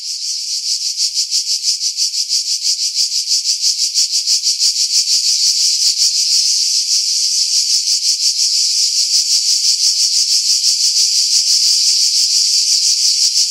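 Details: Cicadas singing in pine trees about 50 m above the sea at Pefkos Bay, Skiros Island, Greece, in July 2018, recorded with a Sony RX3 and external mic: a loud, high, rasping buzz pulsing steadily about three times a second.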